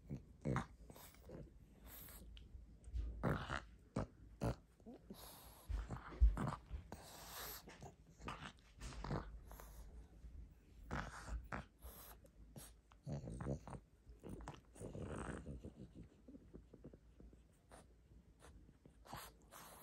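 A pug gnaws greedily on a rope toy, with wet, irregular crunching and snuffling breaths.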